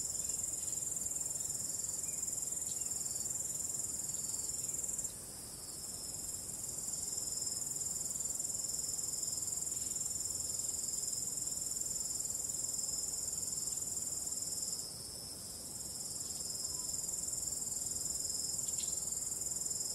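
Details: Night cricket chorus under calm wind: high, steady, shimmering trills layered into a constant band, with brief dips in loudness near five and fifteen seconds before the chorus swells back.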